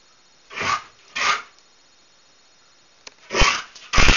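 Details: Whippet playing with Astro indoors, both fighting over a favourite toy in fun; two short rough growl-barks, a pause, then two louder harsh bursts close together in a small room.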